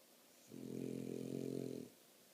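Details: French Bulldog snoring indoors: one drawn-out, rumbling, low breath of about one and a half seconds, with a buzzy, layered tone, set against a quiet room.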